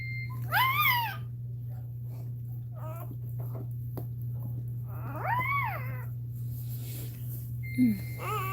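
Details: Cane Corso crying indoors while Cashmere is in labour: two long arched whines rising and falling, about five seconds apart, with a short low yelp near the end, over a steady electrical hum.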